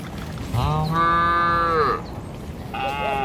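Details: Tame cattle, part of a herd of dozens being driven across a river bridge in the morning toward the village, give one long, steady, harmonic-rich moo lasting over a second, then a second, shorter moo begins near the end.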